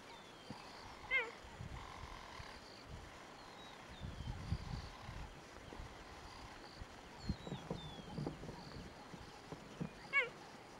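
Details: Cheetah in Kruger National Park, South Africa, giving two sharp, high, downward-sliding barks, one early and one near the end. Between them sit a low rumbling murmur and soft bird whistles.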